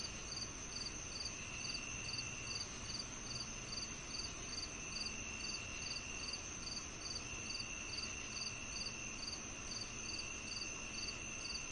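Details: Crickets chirping in rapid regular pulses, about two per second, over a dense continuous high insect drone and a steady hiss.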